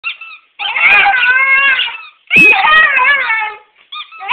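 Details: A Schipperke dog with a tail moaning back at its owners when they come home for the day as a talk-back game: two long, wavering, voice-like moans, each over a second long, with short squeaky sounds before and after.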